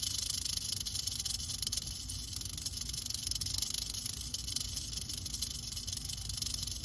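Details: Western diamondback rattlesnake (Crotalus atrox), curious about the person recording nearby, rattling steadily: a continuous dry hissing buzz, strongest in the high register, that holds without pause for the whole stretch.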